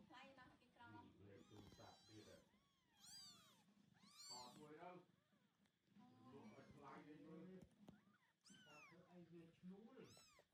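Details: Young kittens, eyes just opening, with their mother cat on a farm as she carries them away one by one; several high rising-falling meows, sharp and repeated, over people talking quietly in the background.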